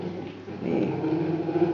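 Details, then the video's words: Polar bear cub nursing from its mother inside a zoo polar bear den, recorded by keepers. It vocalizes and vibrates the teat to make milk flow, producing a steady, loud, low buzzing hum with a growly, vibrating texture. "Jääkarhunpentu nauttii äänekkäästi emonsa maidosta"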